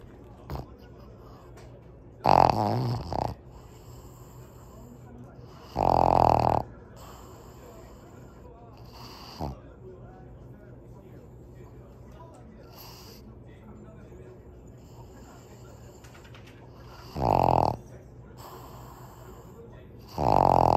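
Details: Sleeping female Pug named Kongzi, five years old, gives heavy rasping snores in irregular bursts several seconds apart, with soft breathing and faint background noise between them.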